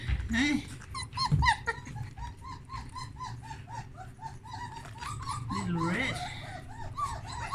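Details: Several puppies exploring a whelping box with freshly changed blankets, giving many short high whimpers and squeaks in quick arching notes, overlapping one another, with a person talking softly indoors.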